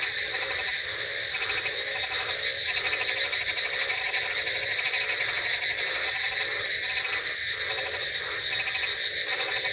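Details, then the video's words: Many frogs calling together on a rainy night, a continuous wall of rapid, rattling croaks layered over a shrill, unbroken trill, with lower pulsed bursts swelling and fading every second or so. "Frogs Sound Effects With Rainy Night Ambience |Frogs Crocking Sounds"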